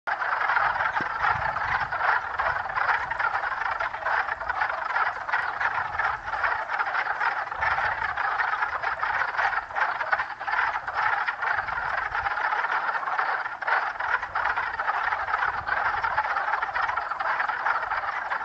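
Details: Spring peepers calling in a huge chorus, an estimated 50 to 60 frogs, brought out early by warm weather; a continuous dense wall of overlapping shrill peeps and trills with no breaks.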